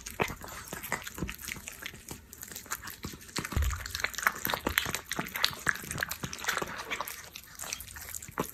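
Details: Orange cat eating canned food: dense, rapid wet clicks and smacking chews packed closely together, with soft licking and no voices.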